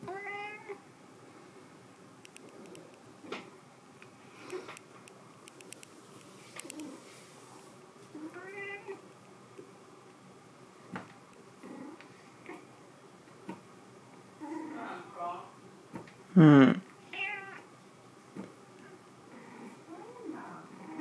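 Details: Sea Cucumber, a white cat, lets out scattered short meows across the stretch, with one loud strained cry near the end and quieter chirping sounds between them.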